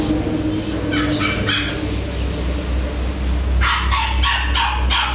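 A corgi gives a run of quick, sharp barks over a steady low rumble.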